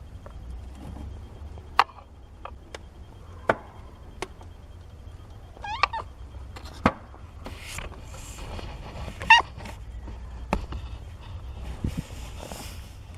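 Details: Kittens seventeen days old, part of a litter of four born to Nina, with scattered thin, rising mews, mostly near the middle and around nine seconds, among clicks, knocks and shuffling in a small room.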